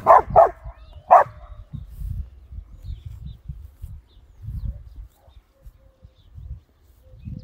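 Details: Samoyed puppies romping through a flowering meadow: three sharp yapping barks in the first second and a half, then low murmuring and soft rustling with faint distant sounds.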